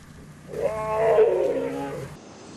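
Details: Wild lioness in Africa's Kalahari Desert, just arrived with blood on her muzzle, warning a man to keep away from her cubs: one drawn-out moaning vocalization with layered harmonics, swelling and then fading over about one and a half seconds.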